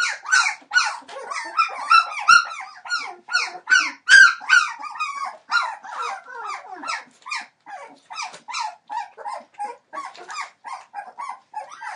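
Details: Entlebucher Mountain Dog puppies aged 21 days, from the litter of Shadow and Falk born in late December 2013. Loud, piercing squeals arrive in quick succession, then settle into softer, wavering whines and yelps from several pups.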